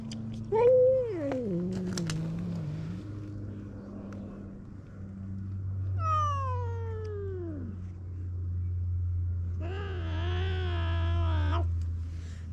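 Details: Stray cats on a cat island at snack time, where a ginger tabby boss snatches treats from other strays; three drawn-out meows, the first wavering then sliding down, the second falling steeply, the third long and quavering, over a steady low hum.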